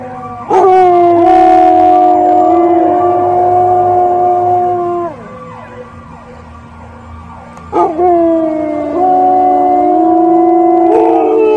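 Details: Dogs howling at sirens: a sustained level howl of about five seconds that falls away, a quieter pause, then a second long howl beginning with a sharp rising onset and holding steady.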